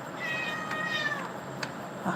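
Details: Young tabby kitten eagerly leaping after and chasing a dragonfly; one drawn-out, high, thin meow lasting about a second and sliding slightly downward, followed by a few soft clicks and faint background hiss.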